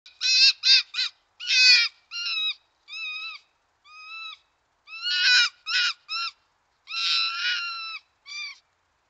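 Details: One of two resident foxes, a female, gives harsh, strained screaming calls in short bursts, possibly gekkering, at what may be another fox after asserting dominance. She is suspected to have won, given her casual demeanour afterward.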